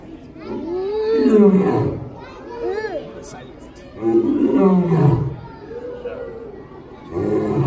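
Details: Male lion Hubert at the Los Angeles Zoo on New Year's Day 2019, giving drawn-out descending roars that sink into low grunts, twice in a few seconds, while high-pitched children's voices and crowd chatter carry on around the enclosure.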